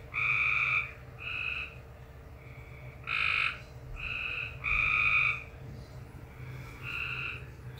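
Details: Frog making a strange noise: a series of tonal croaking notes, each roughly half a second long, some loud and some soft, spaced about a second apart, with a constant low hum behind.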